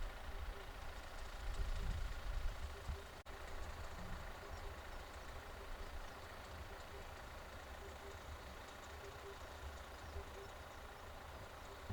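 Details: Low rumbling engine noise of an idling vehicle with faint voices in the background, no animal calls.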